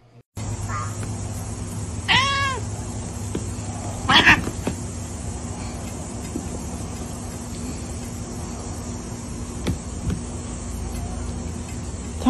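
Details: A domestic cat, from a compilation of cats slapping humans, gives a few drawn-out harmonic meows, two clearly spaced about two seconds apart. A steady musical drone and room hum run underneath, with occasional clicks.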